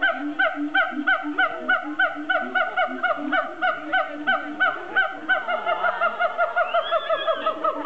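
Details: Zoo siamangs giving a steady run of sharp, honk-like barks at roughly three per second, evenly paced, ending in longer swooping, wavering notes.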